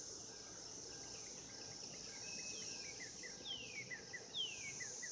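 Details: Mating cicadas in 2016 keep up a continuous high-pitched buzzing hum; after about three seconds a run of short downward-slurred whistles and chirps breaks in over the drone.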